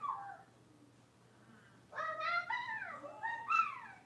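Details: Playing Cavalier King Charles Spaniel puppies, five blenheim littermates in a home puppy pen, give loud, high, bending yelps: one short cry, a pause, then a run of three sliding, whine-like calls in quick succession with a faint hum beneath.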